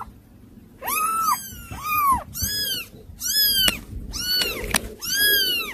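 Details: Unruly kittens meowing indoors: a run of five or six arched, rising-then-falling mews follows one another with short gaps, with a couple of sharp clicks or taps between them.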